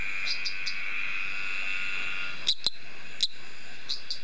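A male eastern dwarf tree frog gives short, high, sharp pips in pairs to attract females.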